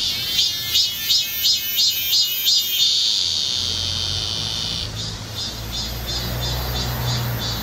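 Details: Cicadas calling on Galsan, Gocheok-dong, Seoul, in high summer. Bright rasping pulses repeat roughly every third of a second, then merge into a continuous hiss over a low background hum.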